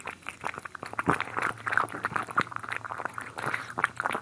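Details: Wet, slurping eating noises from cats at their food in a close ASMR recording: rapid moist clicks and gurgling smacks that pulse unevenly, louder crunches standing out now and then, indoors.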